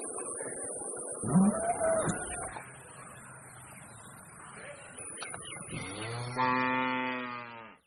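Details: A very large bull in Pakistan gives a low, steady, richly harmonic moo lasting under two seconds near the end. It follows a shorter, rougher call early on, with faint hum and background noise throughout.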